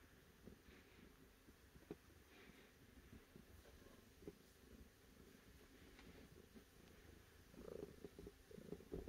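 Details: Cat purring softly and steadily, a low rumbling texture throughout, with a few faint clicks and a slightly louder rough stretch near the end.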